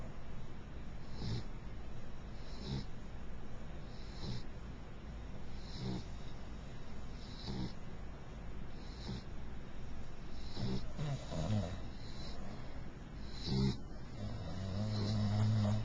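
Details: Mixed-breed beagle snoring while asleep, a soft low rumble with breathy bursts repeating roughly every one and a half seconds over a steady low hum.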